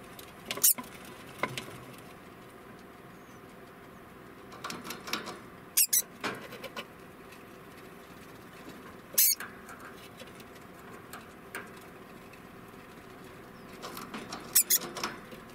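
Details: An 11-month-old male degu gives sharp, high alarm (warning) chirps spaced several seconds apart, with soft rustling between them.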